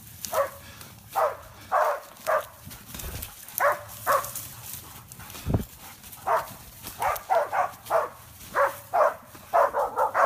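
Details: Hebat, a six-month-old single-tone hunting dog in Korea, barks throughout its first wild boar hunt. Sharp barks come in short bursts, sometimes doubled, at a steady mid pitch, with brief gaps and a low thump near the middle.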